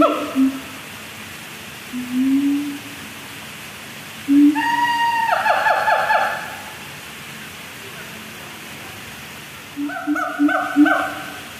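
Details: Siamang (Symphalangus syndactylus) at Safari Resort, Puncak, Bogor, gives deep booming notes, then loud harmonic barks and wavering hoots that rise and fall.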